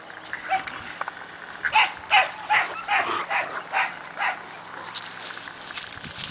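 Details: Kennel playtime for Siberian Husky puppies Cassia and Disco, aged four months: a run of about eight sharp, high yapping barks comes roughly every half second, then trails off into faint scuffling.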